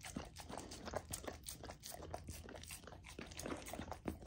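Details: A female Golden Retriever puppy eats a frozen raw dog food dinner, chewing and crunching noisily with wet smacking, licking and slurping bites in quick irregular bursts.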